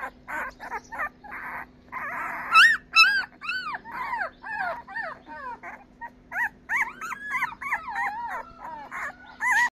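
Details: Labrador Retriever puppies twelve days old, from a litter of five, squeal and whine in quick succession; thin rising-and-falling cries, some drawn out, over a constant faint hum.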